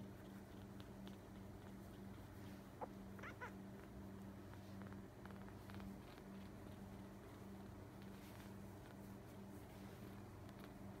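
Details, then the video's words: A six-day-old Siamese kitten, eyes not yet open, purrs in a soft, steady, low crackling rumble while being stroked just after feeding. "Siamese kitten purring only 6 days old"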